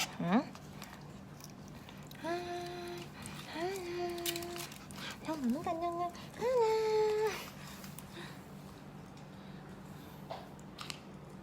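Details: Purebred Pembroke Welsh Corgi puppies at a kennel farm in Om Noi, Samut Sakhon, Thailand, giving a string of high, drawn-out whines, some rising sharply then holding level, several cries in close succession, with a steady low hum in the background.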